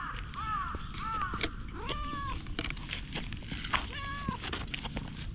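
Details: Stray cats outdoors in a community of free-roaming cats, short arched meows repeated several times over a low rumbling background with clicks and footsteps.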